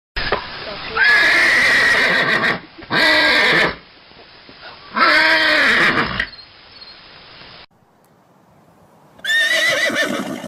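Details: A horse gives loud, shrill neighs in repeated bursts, each quavering and falling in pitch.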